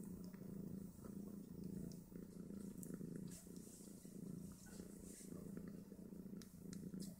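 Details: Mother Snowshoe Siamese cat nursing five two-day-old kittens that fight over teats; a deep, even, pulsing purr throughout, overlaid by light clicks and rustling movement.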